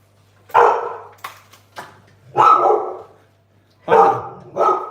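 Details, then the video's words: Barking from dogs next door, outside, heard indoors during cooking: five loud, rough barks in uneven spacing, two close together near the end, with a low steady hum beneath. "I know you can hear the neighbor's dogs. That's all right. Long as he's outside leaving us alone."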